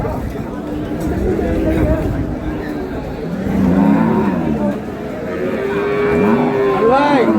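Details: Dairy cows and calves of improved breed at Ambari cattle market, 15 April 2026, amid buying and selling; low crowd murmur, then a long drawn-out moo in the second half ending in a rising, wavering call, with voices around.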